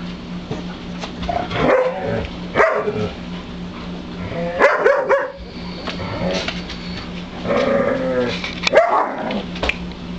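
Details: White German Shepherd puppies, a litter eleven days old, just beginning to open their eyes and ears: repeated squeaky whines and yelps in bursts, several overlapping, with a low steady hum beneath.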